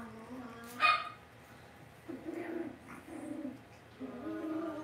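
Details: Young Cavalier King Charles Spaniels in a household puppy pen: one sharp squeak near the start, then wavering, mid-pitched whimpers and moans in short bursts, gently rising and falling, over quiet indoor hum.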